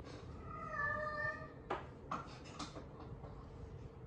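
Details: Norwegian Forest Cat, a pet that likes the socks of a father and daughter, giving one drawn-out harmonic meow early on, followed by soft knocks and rustling indoors.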